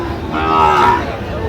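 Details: Sahiwal bull calf at Raniganj cattle market on 24 September 2025, giving one short, low moo lasting under a second. The moo swells and fades, over market chatter and background noise.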